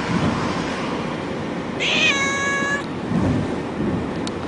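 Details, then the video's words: Frightened cat meowing inside a moving car: one drawn-out, slightly rising meow of about a second, set against steady loud road and engine rumble. "Kucing Mengiau Ketakutan Dalam Kereta"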